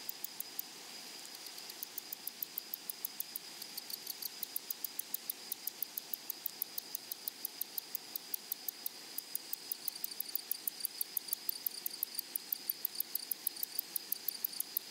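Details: Grasshoppers in a flowery meadow or prairie, giving a faint, high, dry ticking in quick regular pulses that grow more even and steady through the recording, over a soft hiss of background noise.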